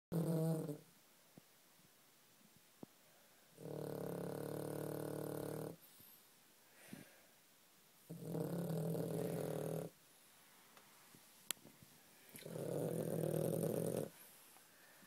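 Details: Pet dog asleep indoors, snoring: three long, deep, rumbling snores of about two seconds each, spaced roughly four seconds apart, with quiet breathing pauses between them and a few faint clicks.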